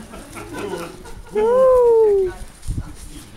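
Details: Irish Terrier named Paddy playing with his sister Rut: a single drawn-out tonal whine of about one second, rising slightly then gliding down, after brief human voice and followed by a short thump.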